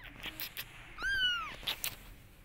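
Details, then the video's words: A mother cat meows to urge her kittens to follow her, one clear arched mew rising then falling, about half a second long, amid light tapping and rustle. "Mother Cat Wants Kittens To Follow Her"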